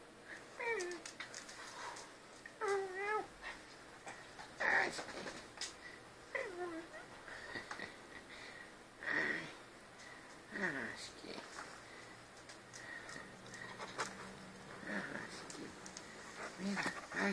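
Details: Husky, an albino house cat said to 'talk', gives a run of drawn-out, wavering meows, some sliding downward and one quavering, spaced every couple of seconds amid soft household noise and occasional human voices.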